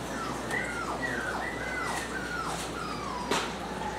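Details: Female fawn-and-white Italian Greyhound named Dior gives a run of thin, whistled whines, each sliding down in pitch and repeated about every half second, with a soft steady background hum.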